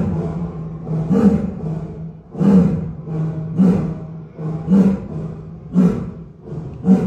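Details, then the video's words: Lion at Shoushan Zoo in Kaohsiung, Taiwan, roaring punctually at dusk: a run of deep, grunting roars about one per second, each a low resonant pulse, over a steady low hum. "有沒有聽過獅子叫！ 高雄壽山動物園"立體音效環繞"傍晚準時開吼"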